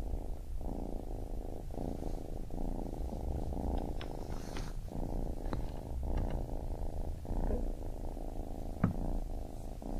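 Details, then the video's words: A baby kitten's rumbling purr, very low and thick, cycling in breath-length pulses with brief gaps and a few faint ticks over the top. "Baby Kitten Purring"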